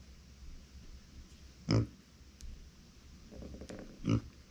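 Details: Uni, a female micro pig born September 2020 and kept as a family pet, cries when nobody is nearby: two short, sharp grunts about two and a half seconds apart in a quiet indoor room.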